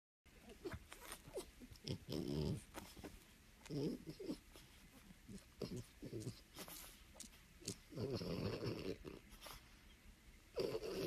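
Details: French Bulldog puppy indoors making a run of short, rough, throaty bursts, half snort and half bark, clustered around two, four and eight seconds, with brief human voices in between.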